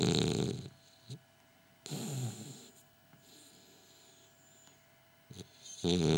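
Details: French Bulldog snoring while asleep, possibly with eyes open: loud, rough, low rasping snores in three bursts, at the start, near two seconds and at the end, with quiet breathing gaps between.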